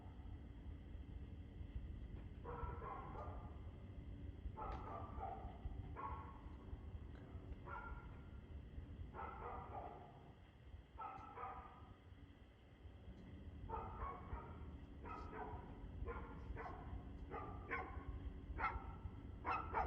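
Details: Dog barking, recorded 2/6/2024 at 6:02 pm: a long run of sharp, slightly distant barks in quick clusters, several per second at times, over a steady low rumbling background hum.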